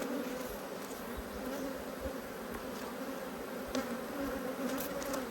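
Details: Honey bee colony in a re-queened Australian hive, annoyed at being opened for inspection in March 2022; dense steady hum with layered pitch bands and repeated short louder buzzes as bees fly close.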